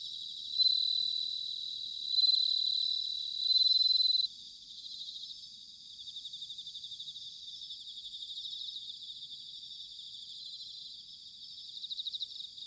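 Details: Bell cricket in autumn, recorded in Sanuki, Chiba, Japan, gives three clear, bell-like high trills roughly every one and a half seconds, then falls silent, leaving a quieter pulsing chorus of other crickets.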